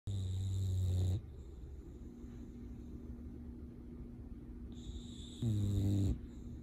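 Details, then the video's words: English Bulldog sleeping deeply: two loud, low, rumbling snores with buzzy harmonics, one at the start and another near the end, separated by quiet steady breathing and a faint constant hum. "English Bulldog Snoring While Sleeping"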